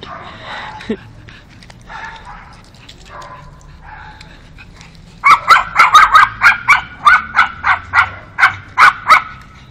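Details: Pug named Alfa meeting a new dog friend she only met yesterday; after quiet murmuring voices, a fast run of about a dozen sharp, high yappy barks fills the second half, evenly spaced and bright.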